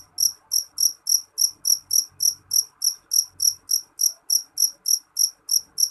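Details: Jeliteng cricket, a dark Indonesian field cricket, chirping loudly: short shrill pulses with a high double-band tone, about three per second in a steady run across six seconds, with faint low rumble beneath.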